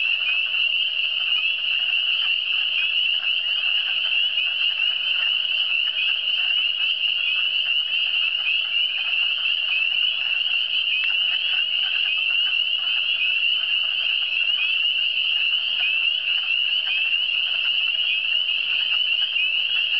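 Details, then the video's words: Chorus of frogs from the Eastern Townships, a thick continuous wall of shrill trilling at a constant high pitch and even loudness, many callers overlapping with no pauses and nothing else audible. "Le son des grenouilles"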